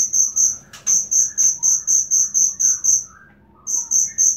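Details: Genuine cricket sound used as tutor material for songbirds: shrill, high-pitched chirps pulsing about four times a second. A brief pause comes near the end before the chirping resumes, with faint lower twittering behind.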